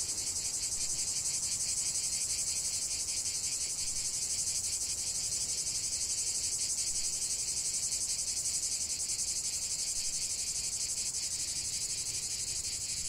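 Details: Many cicadas singing together in nature, a steady wall of high, sizzling buzz with fast fluttering pulses, nearly four per second, unchanging throughout, low background murmur faint.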